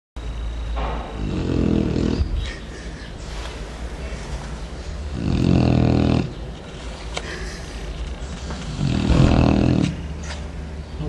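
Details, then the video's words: Chow Chow dog sleeping deeply in the morning, snoring like a human: three long, rough, low rumbling snores, each about a second long and spaced roughly four seconds apart, with quiet breathing between them. "Cão Chow Chow roncando igual a um ser humano"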